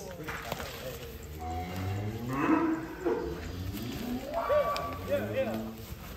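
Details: Bull from Lembu Muda, Cirebon, Indonesia, brought out of its pen, lets out a drawn-out harmonic moo in the middle of the recording while onlookers chatter and shout around it.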